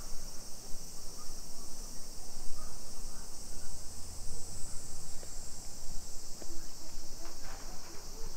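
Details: Cicadas in a Japanese suburb of Nagoya, Nisshin city, on a July 2021 afternoon walk at 2 PM; an even, intense high buzzing wall of sound holds steady for the whole stretch, with deep muffled walking and street noise beneath.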